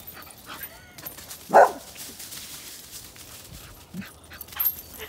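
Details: One of several very happy English bull terriers gives a single short, sharp yip over quiet background noise.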